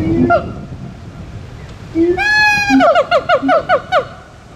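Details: Siamang song: a few low booms, then a long drawn, rising ringing wail followed by a rapid series of sharp whooping notes about four per second, with occasional low booms between.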